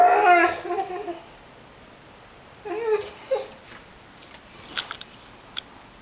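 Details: A Basset Hound howls along with tornado sirens, giving a wavering, mournful howl and then, after a pause, a shorter second howl.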